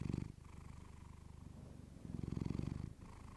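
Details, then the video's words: Clementine, a pet cat, purring into a fluffy microphone: deep buzzing rumble, fading after a loud opening breath and swelling again near the end. "Cat purring you to sleep with fluffy mic"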